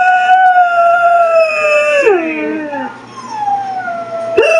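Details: Dog named Loretta howls with her own recorded voice from a computer; a long level howl bends sharply downward into a descending slide, then a softer howl follows and a new one starts at the end.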